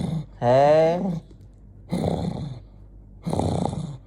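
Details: An angry Jonggi the dog lets out a short wavering, harmonic cry, then two harsh, raspy growl bursts separated by pauses; quiet indoor setting with no other clear sounds.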